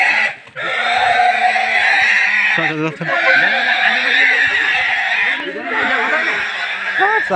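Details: A pig being caught gives loud, sustained, harsh squealing with stacked harmonics that runs almost without break for several seconds. Short dips and a few rougher bursts break the squealing, and people's voices mix in.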